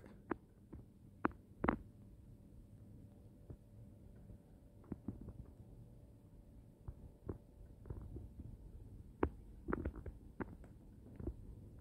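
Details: A quiet indoor room carries only scattered soft taps, clicks and a low hum, with no animal voice.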